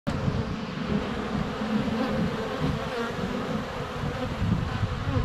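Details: Honey bees flying around a hive entrance on a sunny February day, filmed close up with a GoPro Hero 7 Black; a dense, steady low buzzing hum of many wings with faint taps of bees landing.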